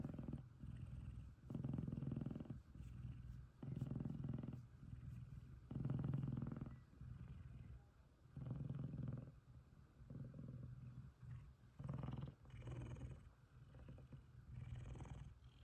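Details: Deep, rumbling purr from Kumba, a happy F2 Savannah cat cuddling with Taj, another male F2 Savannah; the low purr rises and falls in repeated breaths, some louder than others, across the whole stretch.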